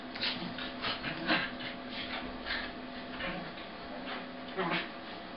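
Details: Two corgis wrestle in play, slowed to half speed: Yoshi, a red and white male, makes the noise while Trek, a sable female, bites down. Low drawn-out growls and grumbles with short snarling bursts, indoors.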